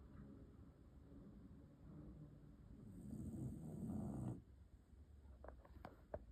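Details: A sleeping dog snoring: a low, rough rumble with breaths that grow louder over about four seconds, then stop abruptly, followed by quieter breathing and a few faint clicks.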